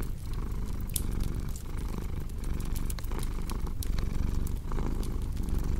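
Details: Steady low purring of a cat, a grainy rumble broken by brief pauses between breaths, mixed with frequent sharp crackles from a fireplace.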